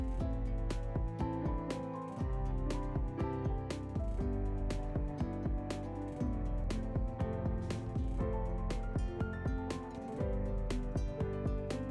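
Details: Steady instrumental music with repeated plucked notes and regular percussive beats fills the whole stretch, with no animal calls standing out.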